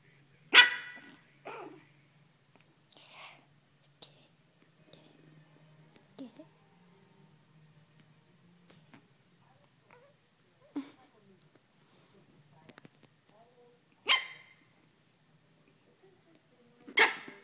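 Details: A Pekingese playing with a blanket gives sharp, high barks in scattered bursts, with a person speaking softly in between and calling it feisty.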